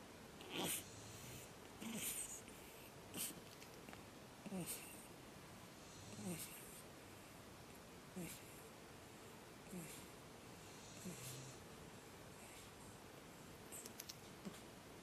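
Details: Batman, a pug puppy on his second night, screaming: short harsh squealing bursts with a snorting edge, repeated roughly every one to two seconds, about ten cries over a quiet background.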